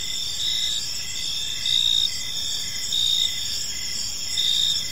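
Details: Evening cricket chorus in a peaceful park: continuous shrill ringing over layered pitches, with rhythmic chirps swelling louder roughly every second. Only insects are heard.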